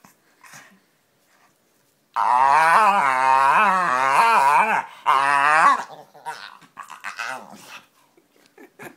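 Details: Pet dog making funny noises and faces indoors: loud, drawn-out wavering groan-whines with pulsing pitch, two long stretches of nearly four and one and a half seconds, then softer short grumbles and snuffles.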